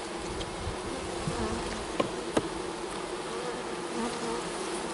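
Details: Honey bees while a beekeeper sets up a fall split in a nuc; a loud, steady buzzing hum of many bees with a couple of sharp knocks from handling equipment.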